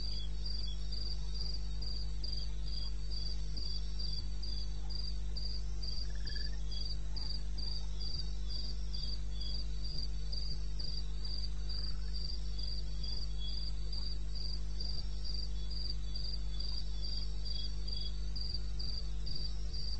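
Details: Cricket in eastern Botswana wilderness at 2:30 am, 21 May 2016, producing a continuous rapid train of high chirps near four per second, with a softer insect chirping beneath and steady low background hum.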